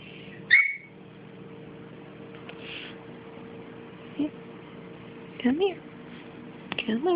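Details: Five-week-old puppies from Dixie's litter: one sharp high whine that bends downward, then softer, lower whimpers later on, with a person talking gently nearby in a quiet room.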